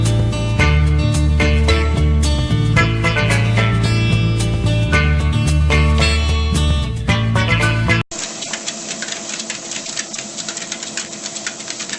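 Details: Loud upbeat music with a steady beat plays for eight seconds, then cuts abruptly to a quieter, different tune; no animal sounds.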